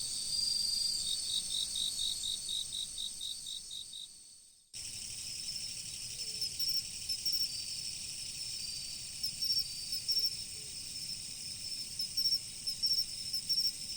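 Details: Autumn insects beside a river: a steady high shimmering trill with a fast pulsed series of chirps at first, then after an abrupt cut, short bright chirp bursts in clusters over the continuous drone, with a soft low wash beneath.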